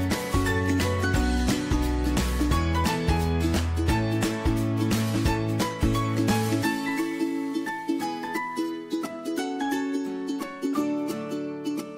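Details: Lively plucked-string music with a bouncing bass line plays throughout, with no animal voice.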